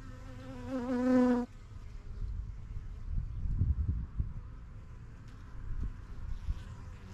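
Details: A honey bee from a busy yellow backyard hive passes close to the microphone, giving a loud, slightly wavering buzz that lasts over a second and then cuts off. Soft low rumbling and faint humming follow.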